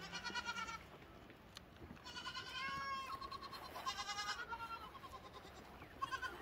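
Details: Lambs calling in a series of medium-length bleats with a quivering, vibrato-like tremble, voices overlapping slightly against light background noise.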